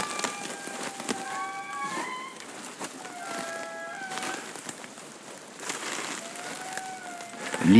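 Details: Indri family group in a Madagascar forest answering after a guide played a recording to locate them; groups call to orient themselves, carrying up to 3 km. Long, wailing, tonal notes with gliding pitch and overlapping voices, faint background hiss.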